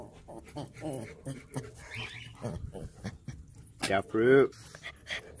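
A German Shepherd gives a loud, tonal bark-like yelp over a person's chatter.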